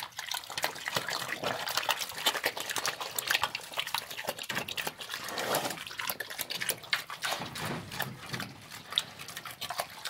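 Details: A pig gulping down slop, with loud wet slurping and splattering, quick smacking chews and dripping liquid sounds packed closely together.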